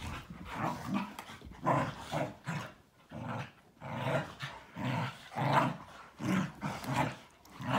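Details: Malinois, Akita and Corgi tussling during their morning play routine; pulsing growl-grunts repeat irregularly, roughly every second, deep and raspy, with scuffling noise between them.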